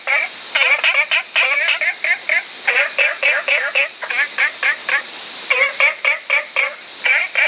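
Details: An olive frog gives rapid runs of clipped, nasal notes, several per second, broken into irregular groups by short silences, against a steady hiss.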